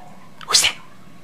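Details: Bailey the pet dog waking from an afternoon nap gives a single sharp, hissing sneeze-like burst lasting about a quarter second, bright and airy, over a quiet indoor background.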